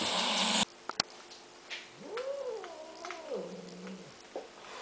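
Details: Domestic cat attacking a helmet with a camera inside, filmed indoors at close range: a loud scraping rush and two sharp knocks, then one drawn-out, wavering yowl that rises, holds, and sinks lower before fading.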